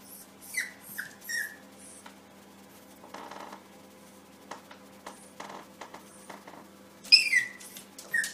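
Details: Yorkshire Terrier puppy sees itself in a mirror indoors and reacts as if another puppy is in the room. A few short, high squeaky yips come near the start, then a louder squealing yip near the end, with quiet rustling between.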